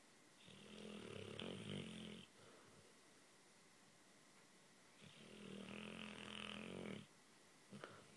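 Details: Luke the dog snores while asleep and dreaming, two long rasping breaths about two seconds each, separated by a quiet gap of roughly three seconds, with a soft click near the end in a quiet room.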